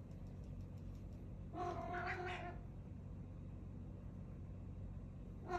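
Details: A Siamese cat meeting a new cat companion at home; one drawn-out, wavering meow lasting about a second, with the start of another call at the very end, over a steady low hum.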